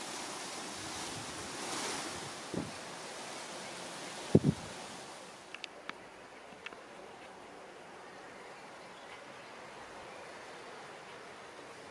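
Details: Steady outdoor wind rumble with a few sharp clicks and taps, and no animal voice.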